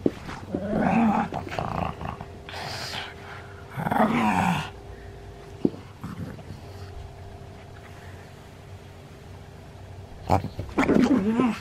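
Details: Elderly pug in Japan on 31 October 2020 making throaty growls and grumbling grunts in irregular bursts, with long quiet gaps over a constant low hum and a single sharp click near the middle.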